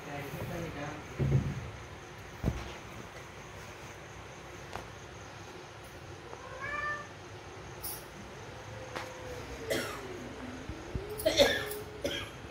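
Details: Pet cats, a big cat meeting smaller ones, recorded 21 December 2021: scattered meows, one mid-clip and a long bending one later, mixed with a person talking in Hindi, thumps and a constant background hum.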